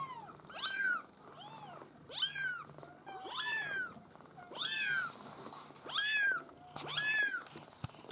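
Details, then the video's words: Maine Coon kittens of a bred litter meowing steadily, high arched cries roughly every second and a quarter, several overlapping voices, loud and clear above a low background hum. "U-Wurf Maine Coon"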